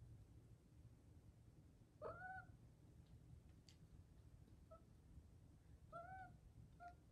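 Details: Caty, a petite female Maine Coon mix cat, chasing a laser pointer indoors; three soft, short tonal chirps, slightly rising then falling, around two, five and six seconds apart, heard over a low steady hum with a voice calling her name nearby.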